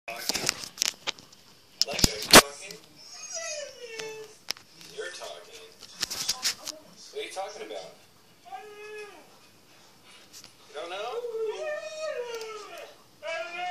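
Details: Two Siberian huskies playing inside a house, one giving talkative, whining howls that slide up and down in pitch, arching and wavering, between sharp clattering knocks and bursts of noise.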